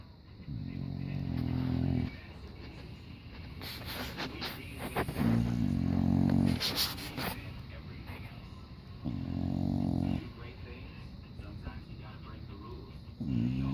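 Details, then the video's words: Sleeping English Bulldog wearing diapers snores loud, rough, low rattling breaths roughly every four seconds, each lasting one to one and a half seconds, with softer faint noises in the gaps. "Cute English Bulldog in diapers snoring loud"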